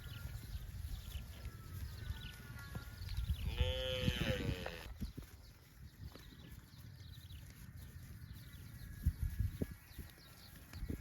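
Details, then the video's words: Livestock cow roaming in the fields gives a loud, rich moo of just over a second mid-clip, strongly harmonic and slightly wavering, amid continuous low rumble and scattered knocks. "Cows mooing"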